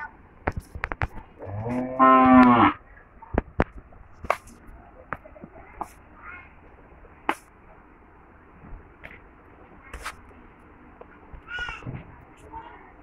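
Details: Dairy cows kept with twin heifer calves on a farm in Chhoto Gharmora, Homna, Cumilla, Bangladesh: one loud, full moo lasting about a second, followed by scattered knocks, clicks and faint voices nearby.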